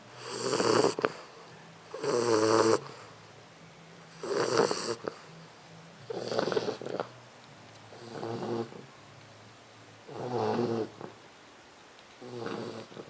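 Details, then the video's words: Leona, a 4-month-old English Bulldog puppy, snoring: seven loud, rasping snores about every two seconds, each a brief harsh burst with quiet pauses between breaths. "LEONA RONCANDO (BULLDOG INGLES)"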